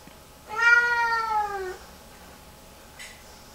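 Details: Distressed female Lynx Point Siamese cat, hours after her bath, melting down in the bathroom at home: one long, strained meow just over a second, slightly arching then falling in pitch, followed by a brief faint noise in an otherwise quiet indoor space.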